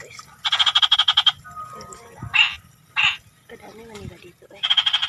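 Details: Frogs croaking in rapid pulsed, rattling bursts: a long train of quick beats, two short single croaks, then another pulsed run at the end, over a quiet low background rumble.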